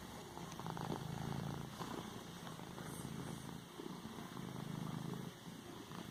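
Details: Domestic cat kneading a pillow while purring: a low, steady rumbling purr in pulsing phases, swelling and easing with each breath, with soft rustling of the fabric under its paws.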